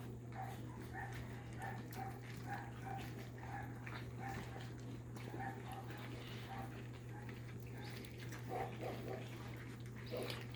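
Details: Almost 5-week-old Labrador Retriever puppies, black and chocolate, born December 21, 2021, eating from bowls at dinner time indoors; short thin whimpering squeaks repeat about every half second over a steady low hum, with a few soft clatters.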